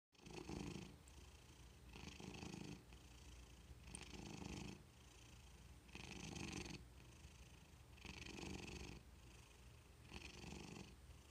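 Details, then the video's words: Happy domestic cat purring steadily, a low rumbling throb with airy breathy overtones that swells on each breath, pulses arriving roughly every two seconds in an indoor setting. "Cats purring happily"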